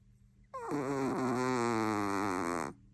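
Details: Sleeping Chihuahua snoring indoors: one drawn-out, droning, tonal snore lasting about two seconds, starting with a brief falling slide, then holding steady, over a faint low hum.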